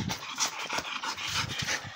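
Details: Playing pit bull panting hard: quick, hoarse, breathy huffs at roughly four per second, steady and rhythmic throughout, with little other sound.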